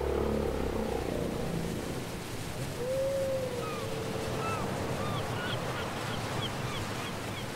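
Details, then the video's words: Whale singing, taken from a cassette: one long gliding tonal moan that bends and slowly falls, followed by a scatter of short, high, upturned chirps, all set against a steady surf-like background hiss. "Les chants secrets des baleines"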